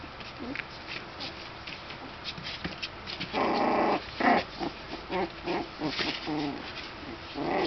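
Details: Young puppies scuffling in their whelping box, still barely walking but determined to play; quiet start, then a run of rough growly bursts and short yips coming quickly one after another.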